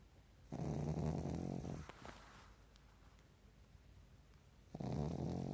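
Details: A Pekingese napping in the daytime in REM sleep, eyes not fully closed, snores in long, low, rattling breaths.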